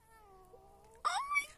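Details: Indoor domestic cat meowing mid-yawn after being called by its owner; a long, steady, low tone breaks into a sudden loud, strained, rising meow at the end.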